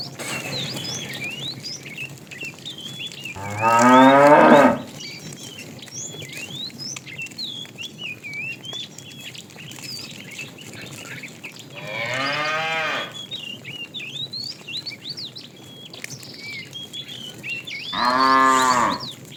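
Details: In the afternoon, while a herd of tame cows is herded, a fat cow calls the female with three separate loud moos spaced several seconds apart, amid continuous twittering and chirping of small birds.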